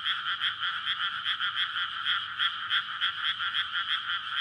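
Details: Frogs in courtship chorus at night in a May paddy newly filled with water ahead of rice planting, surrounded by residential streets. Rapid overlapping croaking pulses form a continuous bright shimmer, loud and unbroken throughout.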